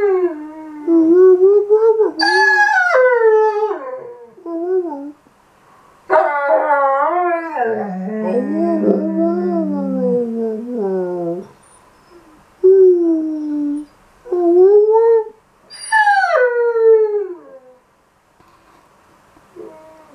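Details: A Weimaraner in May 2016 moans to be taken back to the park, talking back in a run of wavering, yodel-like whines and howls that swoop up and down, broken by short silences, with a lower grumbling stretch midway.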